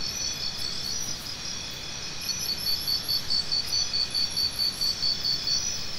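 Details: Steady, ringing insect chorus; partway through, a close cricket begins a crisp series of short high chirps, evenly spaced and repeated quickly until the end.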